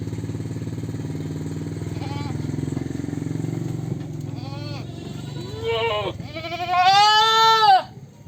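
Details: Goat bleating: a low steady engine-like drone fills the first seconds, then several wavering, harmonic bleats grow louder, ending in a long quavering bleat around seven seconds.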